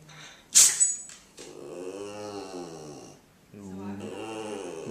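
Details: Female Boston Terrier, a pet that does not bark, making her odd attention-seeking noises indoors: a sharp snort, then long wavering moaning whines in two drawn-out stretches with a short pause between.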